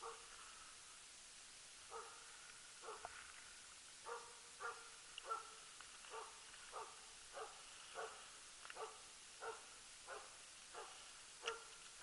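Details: Loose-dog elk hunting with the Jämthund Lillsjöhögens Rapp, 2012: a long series of faint, far-off barks repeated at fairly even intervals of under a second, nothing else prominent.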